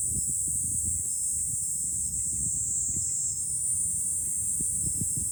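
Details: High on a hill above Fukuoka city, Japan, cicadas drone in July: a steady, very high sizzling buzz running throughout, with gusty low wind rumbling and a few faint thin tones in between.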